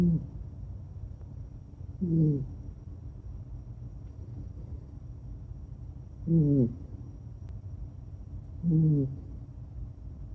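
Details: Ebisu, a red long-haired female Kaninchen dachshund born 2013, former breeding and rescue dog, snoring in deep sleep, which she rarely does: low, harmonic, human-like snores roughly every two to four seconds over a quiet room.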